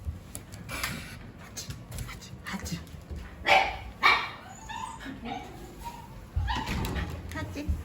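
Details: Pet Shiba Inu dogs rushing over during their owners' emergency; two sharp, loud barks about half a second apart near the middle, amid people talking and household noise.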